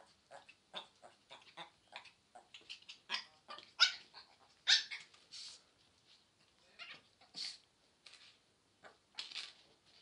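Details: A Pomeranian dog 'talking' in a quick run of short, high yips and squeaky whines, some louder peaks mixed with softer chatter, spaced irregularly across the clip.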